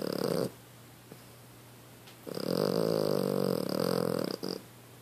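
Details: A dog snoring while asleep: a short rough breath at the start, a pause, then one long, harsh, rattling snore lasting about two seconds before quiet returns.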